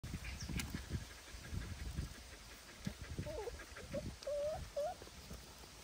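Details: Puppy beside its mother: a run of short, high whimpering whines in the second half, some rising and some bending, with dull thumps and handling noise throughout.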